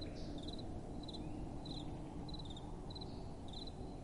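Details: Night crickets and gentle wind. Quiet, high chirps made of rapid pulses recur about every half second, set against a soft, low, steady wind hiss.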